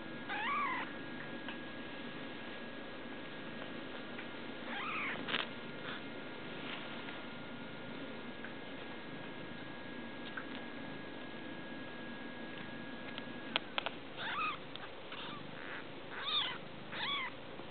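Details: Newborn European-line kittens mewing: short high rising-falling squeaks near the start, again around five seconds, then a cluster of several thin mews at the end, over a steady background hum.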